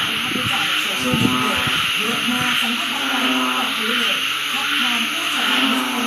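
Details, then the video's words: Frogs calling at home as the rainy season begins, the first such chorus in over six months: low, droning harmonic calls overlap and repeat in short bursts beneath a steady high hiss, with brief broadband knocks near the start. "เสียง เขียดกบ แรก ฤดูย่างเข้าหน้าฝนที่บ้าน"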